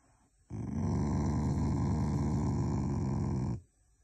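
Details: Affectionate Shiba Inu, a loving family dog, growls without anger: one continuous low, throaty rumble lasting about three seconds, steady in loudness, in a quiet indoor setting.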